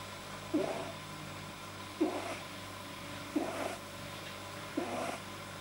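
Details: Pamuk, a pet rabbit, deeply relaxed on 9 January 2010, makes odd noises a vet attributed to an overly long soft palate: four husky grunting bursts, each about 1.4 seconds apart, against a constant low hum.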